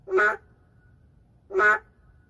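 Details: An endangered narrow-mouthed frog in an urban setting gives two loud, nasal, duck-like bleats, each lasting about a quarter second, separated by a pause of roughly one and a half seconds, with faint low background hum.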